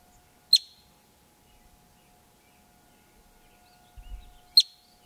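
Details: Male yellow-bellied marmot, wild near Yellowstone, sounding an alarm: two abrupt, shrill whistled chirps about four seconds apart, each a short explosive note, with a quiet steady hum and a brief low thump between them.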